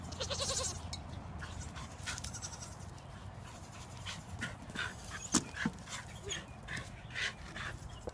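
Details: A Nigerian Dwarf goat at play time gives a brief, wavering bleat, followed by scattered clicks and knocks.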